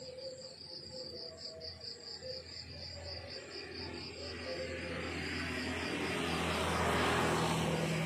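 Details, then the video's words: High, regularly pulsed chirping of crickets on a countryside morning, about four pulses a second, steady throughout; a passing vehicle grows louder over the second half. "The beautiful sound of crickets chirping in the countryside in the morning"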